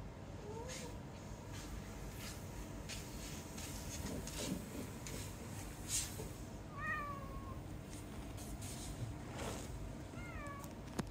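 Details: Domestic cat staying home alone on a Saturday, seeming to sulk on the owner's return; several thin rising-falling meows, faint against steady room hum and soft clatter.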